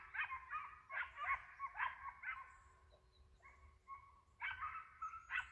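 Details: A hound barks on the trail of a white-headed hare during a hunt, sending out clusters of sharp, ringing yelps separated by short pauses, with quiet surroundings between bursts.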